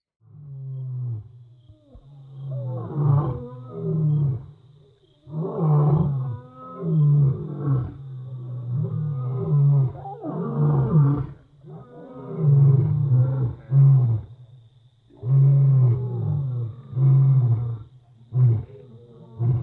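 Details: Lions roar in deep, throaty bursts, each heavy groan following closely on the last, around 4:30 in the morning, perhaps 100 m from a campsite in the Khwai area on the Okavango Delta panhandle, Botswana.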